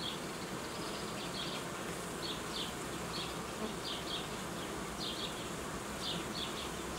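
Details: Continuous humming of honey bee colonies in an apiary being merged and requeened, with paired high chirps sounding every second or so above the buzz.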